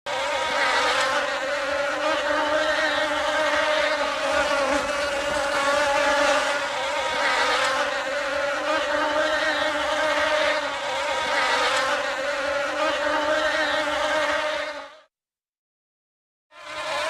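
A honey bee's steady, low droning buzz hums on without pause, then cuts out briefly.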